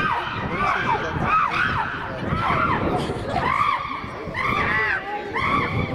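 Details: Rowdy chimpanzee group in the Twycross enclosure, 2018–2019, one female stirring the others up; arched screaming calls repeat in bursts about every two seconds over a constant crowd-like din.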